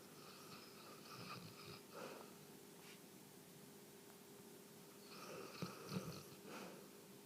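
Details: A sleeping Newfoundland named Jessie, a three-year-old female, snores in a small room. Wheezy, snorting breaths rise around one to two seconds, then fall quiet before a longer raspy run of snores from about five seconds on.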